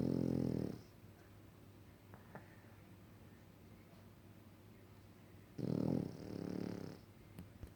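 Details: French Bulldog snoring indoors: a harsh, low snore at the start, a long quiet gap, then another rasping snore followed by a softer wheezy breath, with faint clicks near the end.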